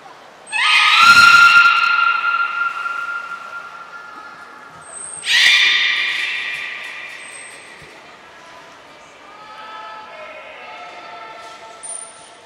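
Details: Belugas Nana, Niko and Mirai in training at Port of Nagoya Public Aquarium, 23 February 2023. Two loud, drawn-out harmonic calls come about four seconds apart. Softer, wavering tonal sounds follow, with brief high whistle tones in between.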